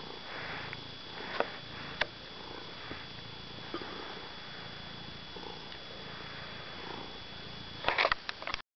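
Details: Fred, a domestic cat, making biscuits (kneading) on the couch indoors; a soft, steady, low pulsing rumble with breathy swells throughout, ending in a brief cluster of sharp clicks and rustles.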